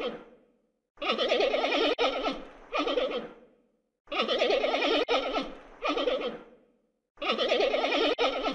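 A panda gives three loud, wavering, goat-like bleats, each about a second long and broken in two, spaced roughly three seconds apart.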